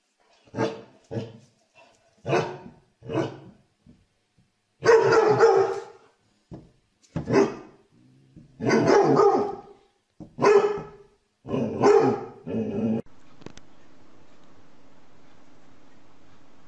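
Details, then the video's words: Dog barking repeatedly in a steady string of deep, punchy barks, some doubled, roughly one every second, before a faint steady hum takes over at the end. "Most funny dog barking videos compilation"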